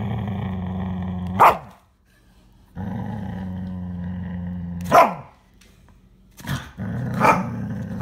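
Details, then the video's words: Siberian Husky showing food aggression, growling over food: long, deep, rumbling growls in three sustained stretches, each broken by a sharp, loud snap or bark, with short silent gaps between. "Siberian Husky - Food aggression!!"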